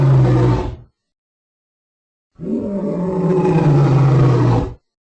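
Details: Lion roar in two parts: a short deep blast, a silent gap, then a long sustained growling roar with strong low tones and a steady level, ending abruptly.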